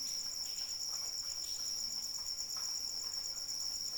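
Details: Rainy night cricket: a bright, rapidly pulsed trill at a constant pitch fills the clip, with light rain patter behind it.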